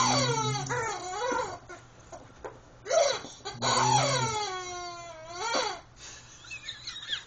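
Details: Pet Rottweiler Bishop playing with Mr. Chicken, his favourite toy; drawn-out yowling whines that dip and climb in pitch, some long and smooth, others short and choppy, with a voice telling him to get the toy.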